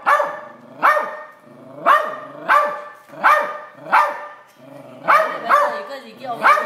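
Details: A Silky Terrier barks at a crab, its first ever: loud, harsh barks repeated roughly every half to one second in a steady series, some coming in quick doubled pairs.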